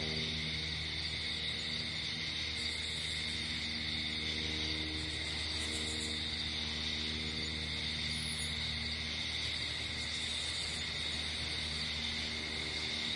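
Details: Crickets at night outdoors in nature, a steady unbroken high shrill chorus sitting in two bands that holds through the whole stretch, over a low constant hum.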